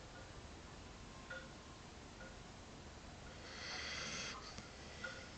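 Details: Sleeping dog named Jack snoring indoors in a small room, soft breathy rasps with a louder airy snore surge near the end, over a steady low room hum.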